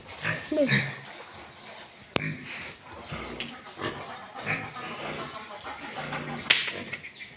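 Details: Farm-raised pure Landrace and Duroc breeding pigs give scattered harsh grunts and brief squeals, with a sharp knock and a louder squeal near the end amid background voices.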